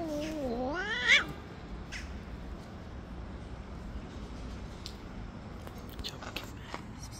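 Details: Stray tabby cat living on the street, jealously attacking and pushing away other cats that approach: one loud rising-then-falling harmonic meow near the start, then quiet outdoor background with faint clicks.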